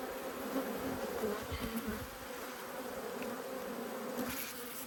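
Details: Agitated honey bees from two hives, disturbed by an inspection on 5 March 2022, make a dense, even drone. A faint low hum runs under a broad hiss, with no voices breaking through.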